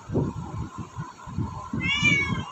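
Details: Hungry house cat begging for food in the morning; a brief high meow comes near the end, preceded by steady rhythmic tapping or thumping noises.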